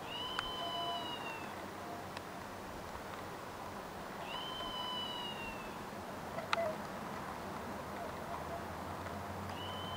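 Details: A red squirrel, recorded 26 August 2023, calls with drawn-out, high, thin mewing cries that slide slightly downward, repeated every few seconds.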